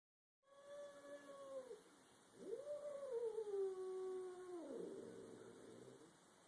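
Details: Two domestic cats growling at each other while a third cat watches: a long, drawn-out tonal yowling growl that rises, holds, then slowly falls over about five seconds, with a steady background hum.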